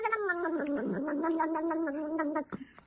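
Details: Domestic cat giving a drawn-out, wavering yowl that holds a low, slightly falling pitch for over two seconds before cutting off, with a faint rustle afterward.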